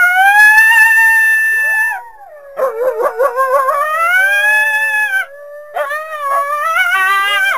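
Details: Coyote howling: a sustained high wail slides down, followed by rapid stuttering yips and rising, wavering howls, then another rising howl after a brief pause.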